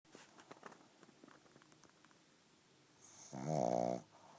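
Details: Pug snoring indoors: faint snuffly breaths early on, then one loud, rough, buzzing snore with a harmonic rattle lasting about half a second near the end.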